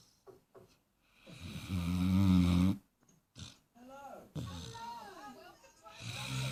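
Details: A Great Dane puppy, four months old, sleeps and gives a deep, rumbling snore, followed by a person talking.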